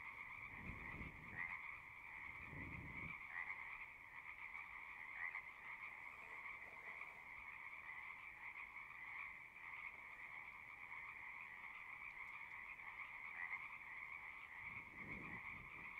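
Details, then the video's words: A steady chorus of singing frogs: unbroken high trilling with occasional brighter chirps standing out, and a few low rumbling bursts near the start and end. "One hour of singing frogs."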